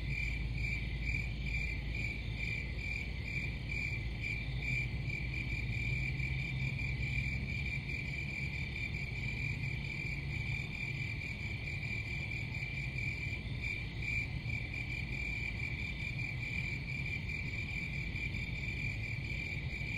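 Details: Crickets give a continuous high chirping trill made of rapid, evenly spaced pulses at a steady pitch, with a deep low hum running underneath.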